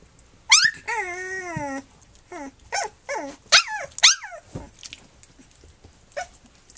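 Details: Three-week-old puppies from Flute's litter, nursing and playing indoors: a long wavering high whine, then a burst of short rising and falling yelps and squeals, loud and close, with quieter whimpers trailing off.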